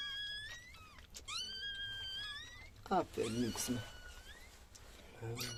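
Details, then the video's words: High, drawn-out whimpering squeals during a female Chihuahua's whelping of seven puppies, each cry bending upward with layered overtones, followed by a person speaking. "chihuahua doğum anı"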